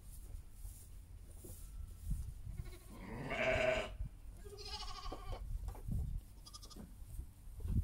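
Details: Among a flock of Heidschnucke sheep with lambs, one loud, harsh bleat is followed by a thinner, higher, shorter bleat. Soft thumps, rustling and low rumble fill the background.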